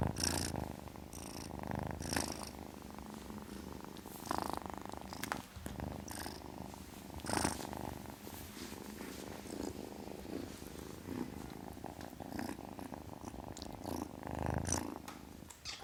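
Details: Kitten giving a sustained low purr, rhythmic rumbling pulses with scattered short hissy rustles and clicks throughout.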